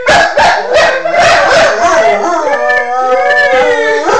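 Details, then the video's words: Schnauzer singing: a long, wavering howl with clear harmonics that rises and falls in pitch, held through the second half, after a burst of short yips and barks at the start. "The singing Schnauzer."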